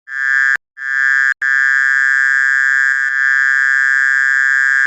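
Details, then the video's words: Mole cricket calling in the countryside at dusk (maghrib): a loud, steady, high ringing trill that holds one pitch, broken by two brief silences early on, a faint low hum underneath. "suara belalangan ngereng"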